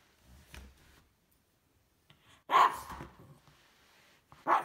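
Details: A female Cavalier King Charles Spaniel named Isabelle reacts to a vacuum cleaner indoors. After a quiet stretch, two loud, sharp barks ring out about two seconds apart.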